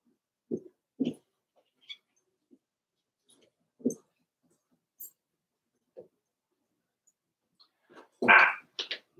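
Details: Daisy's four-week-old Cavalier King Charles Spaniel puppies in an indoor pen: scattered soft grunts and short whimpers, then a sharp louder yelp and a few thin squeaks at the close.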